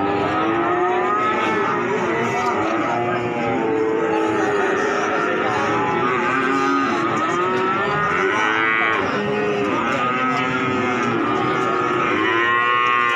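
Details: Young cattle at a livestock market, Pasar Sapi Wage, Pati, Indonesia, bawl in a crowded chorus: many layered, arched harmonic moos of one to two seconds follow each other almost without pause over a constant din of other animals.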